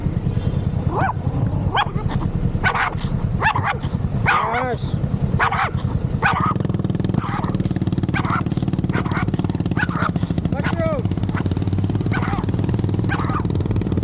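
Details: Mushroom, an unfriendly Pomeranian, gives a run of short sharp barks with rising and falling yaps over a steady low engine rumble, with people talking nearby.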